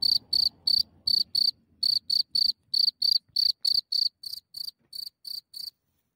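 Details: Cricket emerging from its hole at night, recorded close up from only a few centimeters away: bright, high, pulsed chirps repeated about three per second in a steady series, with faint low rustling early on.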